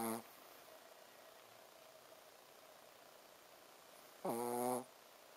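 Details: Shih Tzu named Ponzu snoring while sleeping; a clipped snore opens, then a long quiet stretch before one harmonic, buzzy inhaled snore near the end.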